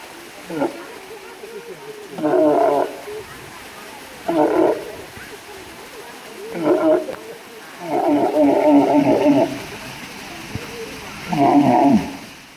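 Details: Walrus giving a series of harsh, throaty, bellowing bursts at irregular intervals over twelve seconds, one stretched longer than the rest, with a grating, buzzy quality and faint background noise between calls.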